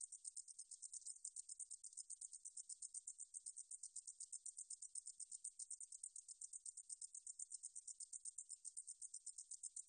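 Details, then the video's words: Meadow katydid recording from the National Institute of Biological Resources, 2020: a relentless high-frequency buzzing chirp train, pulses arriving about six each second, slightly swelling and fading, nothing else audible. "등줄어리쌕쌔기, 여러번 듣기, 곤충소리"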